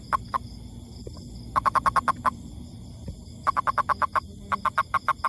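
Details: Toad calling: short, clipped notes with a bright ringing quality, given in quick bursts of four to six pulses separated by pauses, over a steady faint high hum and low background rumble.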